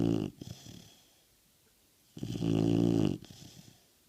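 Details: Snoring American Bulldog, a loud raspy inhaled snore about a second long followed by shorter fluttering breaths and a quiet pause, indoors.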